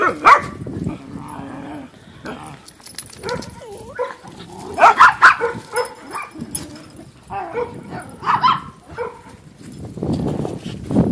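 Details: Dogs playing together at Pet Angels: irregular bursts of short barks and high yips, with a few rising whiny tones between, set among scuffling and occasional human voices in the background.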